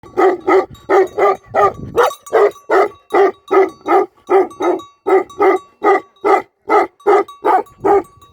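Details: Tibetan Mastiff, a shepherd dog guarding a sheep farm in Nepal, barking steadily: loud, full barks repeated about two to three per second, each with a harsh tonal core, with a faint steady tone in the background.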